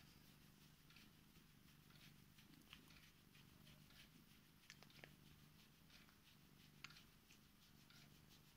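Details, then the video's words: A female Korat cat indoors, climbing into bed beside her owner to wake them and show affection; a soft, steady, low purring rumble runs throughout, with faint rustling and a few light clicks from bedding. "Korat cat waking me up in bed"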